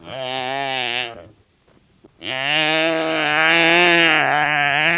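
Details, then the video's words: Wildebeest calling in the wild. Two drawn-out, nasal, bleating calls, a one-second call and a longer one of nearly three seconds, separated by a brief silence. "The Sound of Wildebeest 🐃 Wildebeest Vocalization"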